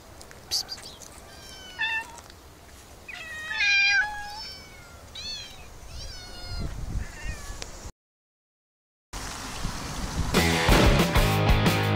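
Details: Many cats in an olive garden on a summer day give a run of short, rising-and-falling meows, some overlapping, in quick succession. A brief silence follows, then loud rustling and broadband noise.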